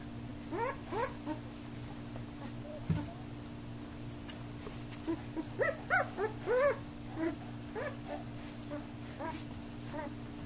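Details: Puppies from Lisa and Thriller, very active now, playing, biting and barking; a string of short high yelps and squeaky whimpers rising and falling, clustered around the middle, over a steady low electrical hum.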